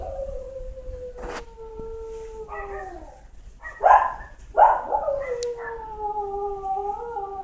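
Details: Howling for its owner while it believes it is alone, a dog gives a series of long, wavering, falling wails broken by short yelping bursts, several howls running together over seven seconds.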